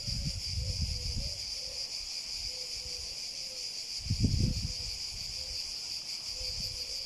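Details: Cicadas buzz in a steady, unbroken high-pitched drone, with low rumbling thumps and a few faint short tonal notes underneath.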